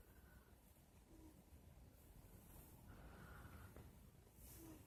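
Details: Female pet cat lightly snoring while asleep in bed, recorded on a phone: soft, breathy rasping breaths rising and fading in slow swells, with faint snorting hisses over a quiet room hum.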